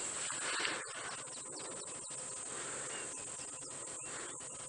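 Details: Cicadas starting to chirp on a very hot sunrise game drive at 7 AM, 22 October 2016, Djuma Game Reserve, South Africa; a steady shrill high whine runs throughout, scattered with clicks, over a bushy outdoor background.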